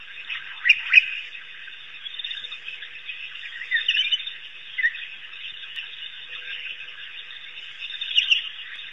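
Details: African wild dogs, also known as painted or Cape hunting dogs, at Pete's Pond in Africa: high, chirping twitters over a steady chattering background, with louder squeaky bursts near the start, around four seconds and again near the end.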